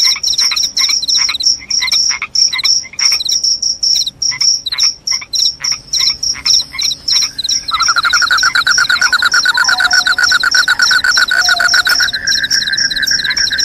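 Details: Crickets chirping loudly in short high-pitched pulses, irregular at first, then joined after about eight seconds by a steady lower continuous trill that runs to the end alongside the repeated chirps.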